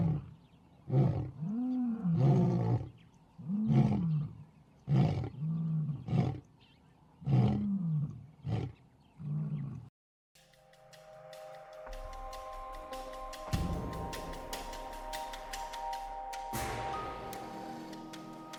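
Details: Lion on an African savannah after a pride attacks and retreats from an elephant herd: five deep, arching roars in the first ten seconds, then they stop and music with steady tones and percussive hits takes over.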